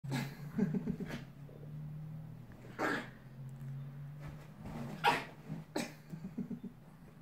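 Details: Two dogs, a pit bull and a West Highland White Terrier, fighting. A low, steady growl rumbles for several seconds, broken by sharp noisy bursts of snarling and scuffling.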